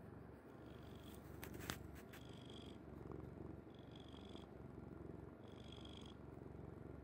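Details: Domestic cat named Kuri sleeping soundly on its mother's bed indoors, purring in a low, steady rumble that swells with each breath about every one and a half seconds, with a breathy hiss on the breaths and a few sharp clicks early on.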